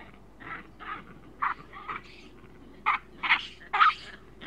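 Juvenile chacma baboons give short, harsh screams in uneven bursts, several overlapping voices.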